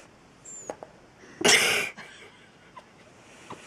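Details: Seven-month-old Mexican Hairless dog (Xoloitzcuintle), asleep and snoring: one loud, breathy, rasping exhale lasting about half a second, framed by a few soft faint clicks and sniffs in a quiet room.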